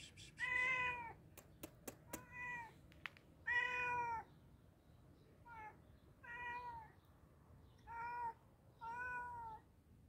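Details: Hungry cat meowing while being fed, clear harmonic meows repeated about every one to two seconds, some long and falling, others short, with a few sharp clicks early on.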